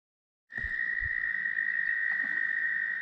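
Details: At Steusser Lake, Michigan, tree frogs sing very loudly in chorus: a steady, high, unbroken trilling drone after a couple of low thumps.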